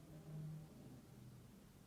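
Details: Labrador Retriever snoring very loudly, a deep low rumbling drone that swells in the first half second and then holds steady, with no other sounds.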